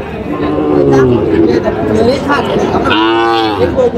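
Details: Sahiwal bull calves at a busy cattle market, 6 July 2025: a low moo swells and fades early on, then a louder, richly harmonic moo comes near the end, over steady crowd talk and bargaining.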